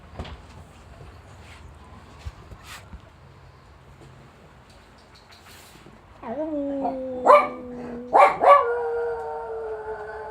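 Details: Jack Russell Terrier howling in response to an ambulance siren: after quiet background, a series of sustained wavering howls begins, sliding slightly downward with rich harmonics, broken by a couple of short sharp yelps before a final steady held tone.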